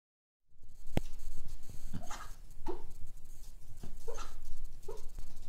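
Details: Cocker spaniel dog dreaming in its sleep, giving a soft series of muffled, short yips and woofs about once a second after a brief quiet start, with faint breathing and room hiss between them.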